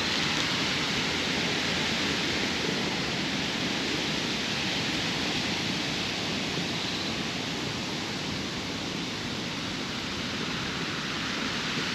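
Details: A steady, broad rushing sound like falling or running water fills the whole recording without a break.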